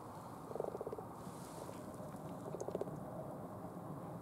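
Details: Frogs mating in a pond in Cambridge, UK, on 20 February 2015; two short bursts of rapid, low, pulsed croaking about two seconds apart over steady background hum.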